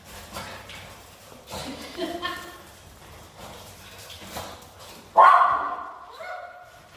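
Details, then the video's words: Miniature Schnauzers vocalising to call their friends out to play: quiet muffled sounds, then a sudden loud high yip followed by a fading whine and a shorter tonal whimper. "the dogs making noise to get there friends out to play"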